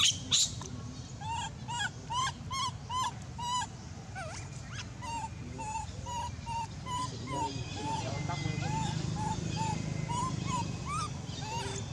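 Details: Abandoned monkey crying very loudly: a long run of tonal, slightly rising and falling wails, each with stacked harmonics, repeated about every half second, with harsher screechy bursts early on and background rumble.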